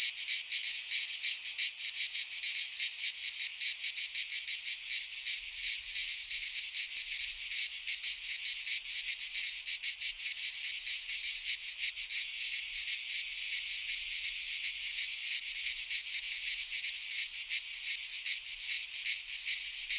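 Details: Greek pine forest in midsummer filled with cicada song, a continuous high-pitched sizzling buzz with rapid flickering pulses, holding steady for twenty seconds, a slight low rumble now and then.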